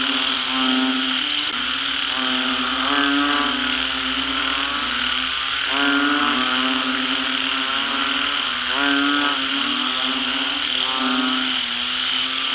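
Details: Rain-soaked rice field full of calling banded bullfrogs. Dense, overlapping chorus of drawn-out honking croaks, some rising, repeating irregularly against a continuous high-pitched whine.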